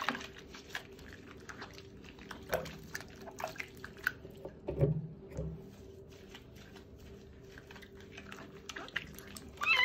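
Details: Stray street kitten having its first bath indoors, giving a few faint, short meows scattered through the clip, with a higher meow near the end, over dripping water, small splashes and a low steady hum.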